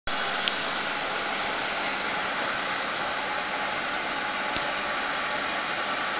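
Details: Constant broadband rushing noise, like a vehicle or air flow, with two sharp clicks and no dog or other animal sound.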